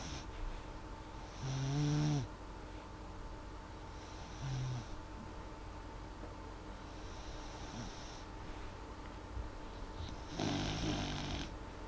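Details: Molly, a dog fast asleep, snores quietly: rough nasal snores near two, four and a half and ten and a half seconds, with gentler hissing breaths between and constant indoor hum.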